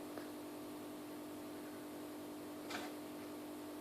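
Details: A quiet indoor room hum with a steady electrical tone and two faint soft clicks, no animal voice.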